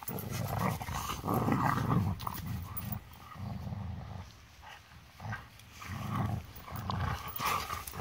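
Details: Play-fighting golden retrievers outside, the older one finally joining in: loud, throaty growls in repeated bursts about every second, pausing briefly midway before resuming, with a human voice scolding.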